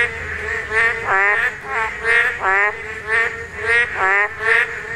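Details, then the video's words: Spawning Korean narrow-mouthed toads give loud, nasal, reedy croaks, each a short buzzy pulse, repeated about every second in an even rhythm with no other clear sounds. "맹꽁이 산란!! 맹꽁이 울음소리"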